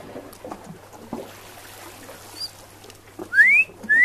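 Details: Eurasian otter, a female with two pups being fed pollock on the Norwegian west coast in November 2016; two rising whistled calls near the end, the first longer, over a low hum and soft splashing.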